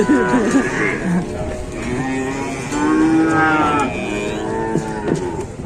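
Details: Cattle at a busy morning livestock market in Indonesia, a low-cost small breed; several drawn-out harmonic moos overlap across the clip amid crowd chatter and background music.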